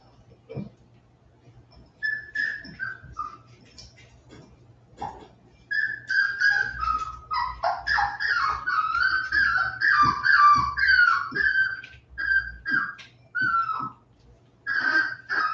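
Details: West Highland White Terrier puppies, 47 days old, indoors after an outdoor break, making a busy run of high whining squeaks and yelps that overlap, quiet at first then continuous for several seconds.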